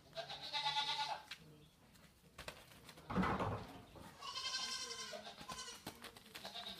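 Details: Goats curious about a newly arrived deaf Saint Bernard puppy named Frances: two drawn-out, nasal bleats with strong layered overtones, one at the start and a longer one midway, separated by rustling and a brief low sound.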